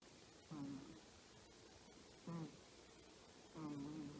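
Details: Choppi, a 10-year-old female Chihuahua, sleeps comfortably while giving small snores: three soft, low, humming snorts about every one and a half seconds in a quiet indoor room.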